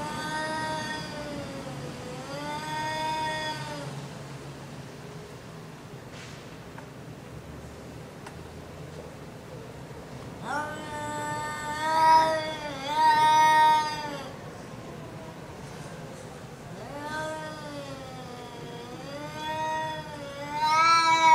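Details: Two cats calling to each other through a gate, described as flirting: long wavering, moaning yowls that rise and fall in pitch, in bursts separated by quieter gaps, with a man speaking softly nearby.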